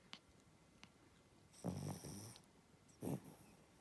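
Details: Spitz dog sleeping and snoring, one drawn-out, buzzing low snore of about two-thirds of a second followed by a shorter, rougher snort, with a few soft clicks between them.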